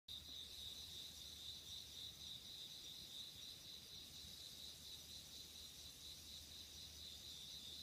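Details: Insects calling on an autumn night in 2016, a steady, dense high chirring trill that pulses continuously without pause, with a faint low hum underneath.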